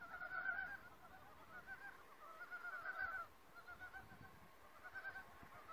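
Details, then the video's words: Frogs in a forest calling one by one: separate short pulsed croaking bursts with quieter gaps between them, softer than a full chorus, over low rustling background. "(feat, Frog) Secret talks of forest fairies and chorus"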